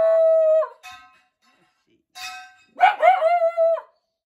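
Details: Shiba Inu at a log house, apparently frightened by the clanking of steel scaffolding pipes as exterior painting work begins, voicing feebly: a long steady tonal whine, a brief pause, then a run of short wavering yelping cries.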